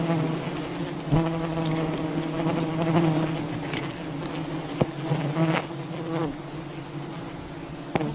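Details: Wild honey bee colony buzzing during honey hunting, a steady low droning hum with stacked harmonics, swelling and fading, broken by sharp clicks and knocks from nearby handling.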